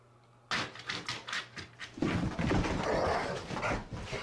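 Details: Morning play fight between two Rhodesian Ridgebacks, Zahara and Weya, indoors: rapid pulsed snarls and growls that swell into a continuous rough, loud growling tussle.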